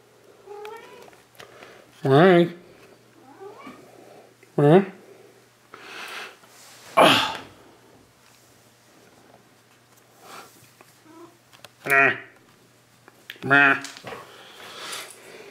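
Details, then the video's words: Domestic cat at home, addressed by its owner: loud, harmonic, wavering meows in short bursts, about six over fifteen seconds, alternating with a man's chatty speech in a small indoor room. "Talking To My Cat"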